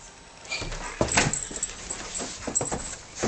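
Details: Eight-month-old Black Russian Terrier acting as an alarm clock, waking people up indoors: a string of short, high, strained whines and yips in uneven bursts, with rustling and a faint jangle between them.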